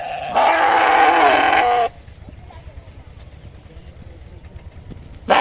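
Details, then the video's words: A single long, strained sheep bleat lasting about one and a half seconds, then quiet background rumble, with another bleat starting right at the end. "Sheep Making A Cute Noise"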